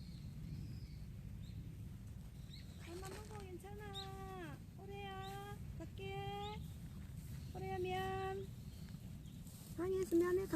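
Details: Mother cat Jungseong, after eating alone outdoors for about eight minutes, calls her hungry kitten Orae to come and eat: five drawn-out, harmonic-rich meows about a second each in steady succession, a brief sharper cry at the end, over a low outdoor rumble.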